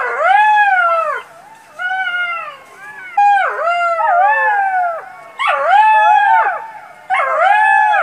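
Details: Golden jackal (Canis aureus), howl.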